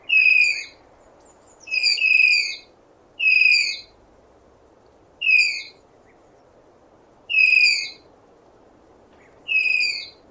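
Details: Tapir giving piercing whistle-like squeals, each short and falling a little in pitch, with strong overtones, spaced one to two seconds apart against a constant low rushing background.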